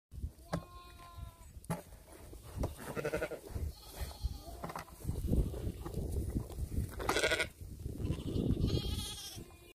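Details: Sheep with a bucket; a few short wavering bleats early on, then scuffling, bumping and rustling noises dominate, with another bleat-like cry near the end.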